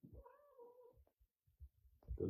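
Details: A female domestic cat who, a year on, still hasn't accepted a newly adopted male cat gives a drawn-out, slightly falling, tonal meow while squabbling and chasing with him.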